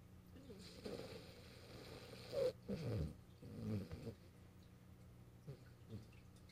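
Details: French Bulldog Morio dozes on the owner's lap, filmed 8 March 2012; faint low rasps swell into a couple of short rattling snores midway, then fade to quiet breathing.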